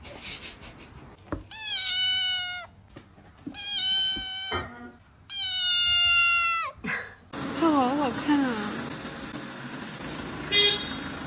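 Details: Kitten making funny noises indoors: three drawn-out, loud meows with rich harmonics, each about a second long and falling slightly at the end, followed by a person speaking in the background.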